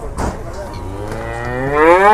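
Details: Cattle at an Indonesian livestock market as a truck arrives; a single long moo rises and swells at the end, with a man speaking briefly at the start.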